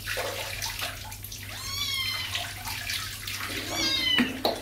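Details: Kittens being bathed in a tub after getting muddy outdoors, angry at first: two wavering meows, one short and one bent upward, heard over splashing and running water.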